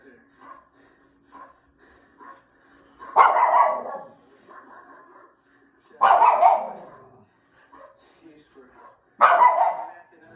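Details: A Schnauzer barks at the TV with single sharp, loud barks about every three seconds over soft background talk.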